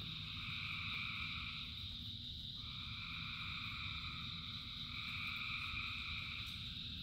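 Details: Thousands of frogs sing in the rain, their voices merging into a steady, shimmering high chorus whose pitch bands shift slightly partway through, laid over continuous low-pitched rain noise.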